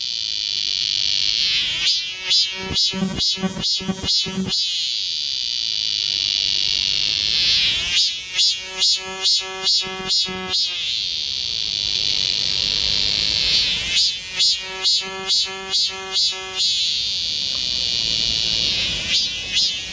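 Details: Midsummer chorus of cicadas along a forest walking path in Galsan Park, Yangcheon-gu, Seoul. Continuous shrill ringing runs throughout, broken by three bouts of loud, evenly repeated throbbing pulses, each lasting a few seconds, with quieter gaps between.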